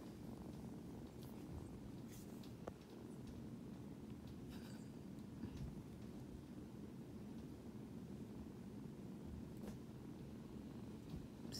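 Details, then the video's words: Foster kitten, rescued from construction rubble beside a highway and not feeling well, purring for the first time while handled; a continuous soft low rumble throughout, with faint handling clicks and rustles. "First Purrs"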